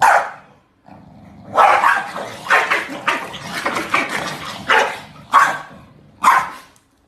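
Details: Corgi. A corgi vocalizes in a chatty string of short, raspy barks and yowling grumbles. The bursts are loudest at the start and end, and there is a faint low hum underneath.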